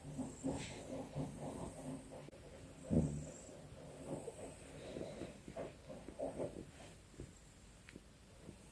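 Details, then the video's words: Domestic cat sleeping with its eyes open, snoring softly: low, breathy rasps rising and falling at an uneven pace, with a slightly louder snort near the third second in a quiet indoor room. "Can we normalise snoring with our eyes open?"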